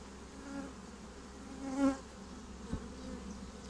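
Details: Humming of a honeybee swarm taking up a new home. A single bee zooms close by midway, a brief loud buzz over the steady low drone.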